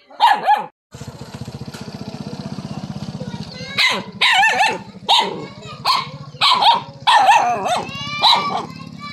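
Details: A dog barks on seeing a snake that is not venomous: an opening bark, then a steady engine-like hum, then a run of sharp, evenly repeated barks about every half second over continuing background rumble.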